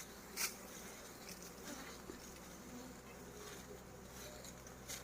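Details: Bees during honey harvesting give a dense, continuous buzzing drone with a low hum, broken by a few brief sharp clicks.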